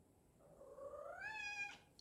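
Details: A single long, rising, demanding meow from an indoor house cat calling at its owner for following too slowly, ending in a sharper note.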